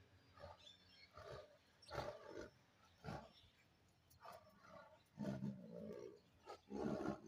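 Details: Bengal tiger giving a series of short, deep, rasping roars and grunts in separate bursts about every second. The last bursts are louder and longer.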